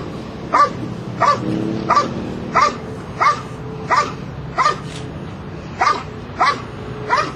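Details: Belgian Malinois working a Schutzhund III protection routine at a trial in Escondido, California. Sharp, forceful barks come at a steady pace, about one every two-thirds of a second, over a low constant background hum.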